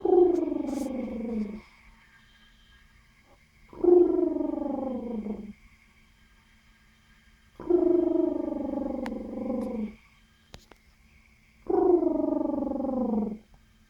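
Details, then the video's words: Guinea pig giving four drawn-out, harmonic calls, each about one and a half seconds long and sliding downward in pitch, spaced roughly four seconds apart with quiet gaps between them; faint background hum. "Cute Guinea Pig Making Funny Sounds"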